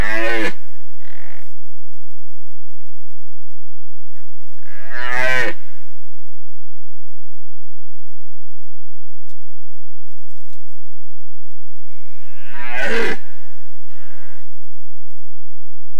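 A red deer stag gives deep, harsh bellows, each a short rasping burst, with long pauses between.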